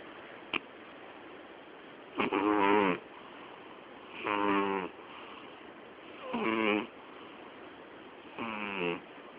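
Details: Loud snoring from Miyabi, a sleeping female cat about to turn twelve on 20 October: a faint click, then four buzzy, stacked snores spaced about two seconds apart, each lasting under a second.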